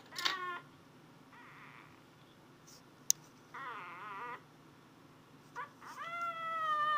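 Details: Indoor pet cat Athena hunting for a noise gives a short sharp meow, a faint wavering call, a longer warbling meow, then a drawn-out rising cry with a flat steady tone at the end, spaced by quiet gaps.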